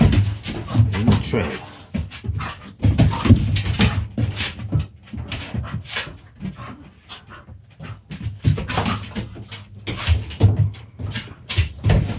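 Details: Dogs in rough play-fighting: deep, gravelly growls and huffs come in clusters, fade to a quieter scuffle around the middle, then build again into repeated short growling bursts.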